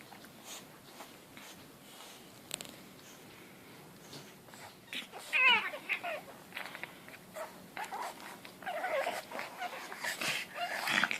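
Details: Two pug puppies, aged 4 and 2 months, play together, making wheezy, snorting yowls in quick bursts with a cat-like, caterwauling tone.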